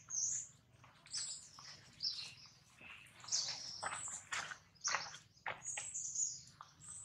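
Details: Jinx, a baby monkey, cries loudly after a hard bite from Jade, another monkey; piercing high squeals and shrieks come in rapid irregular bursts over a faint low-pitched hum.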